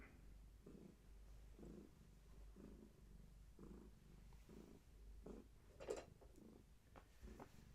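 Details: Heavily pregnant long-haired tabby cat carrying many kittens, indoors and being held steady; low rumbling purr in regular breath-by-breath pulses about once a second, with a brief rustle near the end.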